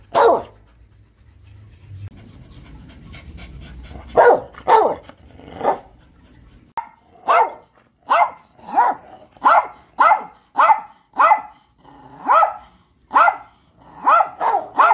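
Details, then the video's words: Steady series of sharp dog barks, after a few opening barks settling into a regular rhythm of roughly one bark every second for about eight seconds, with a low murmur at the start. "Barking Dogs"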